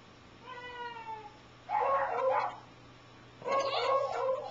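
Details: A smooth, falling, harmonic tone comes first, then Wasabi the dog answers the weird sounds with two long, rough, warbling barks, each about a second long, inside a room.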